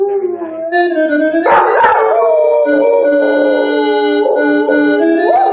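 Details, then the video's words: Dog 'singing' with loud, long, wavering howls that slide in pitch, mixed with loud music. "Singing Dog"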